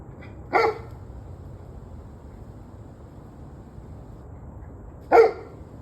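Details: Two loud, abrupt dog barks about four and a half seconds apart, with quiet low hum between them; recorded 21 November 2023 at 7:06 in the evening.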